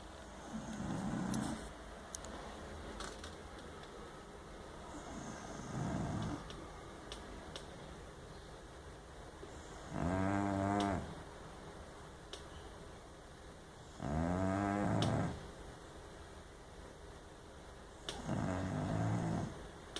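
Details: Luna, a bulldog taking a nap, snores in long rasping, harmonic-rich bursts, each lasting about a second and recurring every four to five seconds, with a steady indoor hum and faint clicks between breaths.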